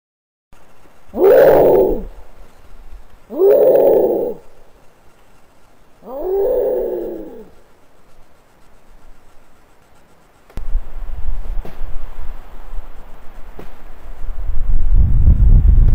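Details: Canada lynx crying at night on a trail camera in western Maine, near roadkill bait; three loud, drawn-out, wavering harmonic cries about two seconds apart, followed by steady low rumbling noise.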